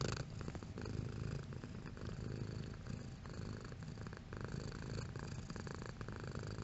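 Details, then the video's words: Cat purring at varying strength: a strong, low, throaty rumble with a fast vibrating texture, continuous for nearly seven seconds, slightly louder at the start and in the final seconds. "Cat Purring Sound Effect"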